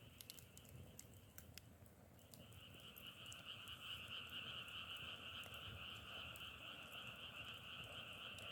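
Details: Frogs calling in a chorus that sounds like crackling firewood: thin at first, then a dense, unbroken trilling hum from about two seconds on, in two steady pitch layers, with scattered sharp ticks above.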